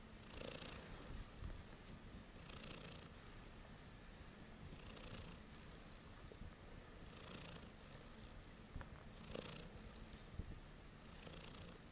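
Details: Cat purring late at night: a steady low rumbling purr runs throughout, with soft breathy rushes recurring roughly every two to two and a half seconds, in a quiet indoor room.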